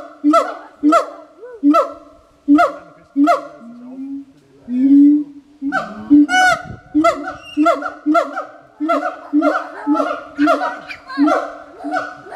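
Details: Siamangs at the Berlin Zoo give loud, honking barks in quick repeated bursts, with a drawn-out booming note in between.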